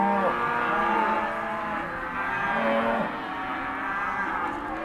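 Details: Non-pregnant Hereford and Careta cows lowing as a group, several long moos overlapping, some sliding down in pitch near the end, with a steady background hum.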